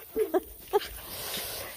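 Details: Bloodhound puppies giving three short, high squeaky yelps in quick succession near the start, then quiet with faint background hiss.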